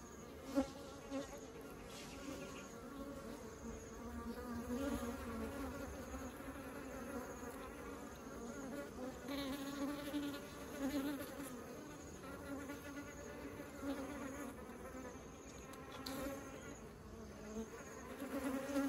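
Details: Honeybees carrying honey into the beehive: a steady, dense buzz of many wingbeats with a low hum and overlapping tones, swelling and easing gently throughout.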